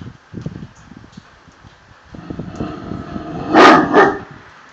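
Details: Tosa Inu guardian dogs: after soft low rustling and shuffling, two loud, broad, harsh barks come close together near the end, the second slightly quieter.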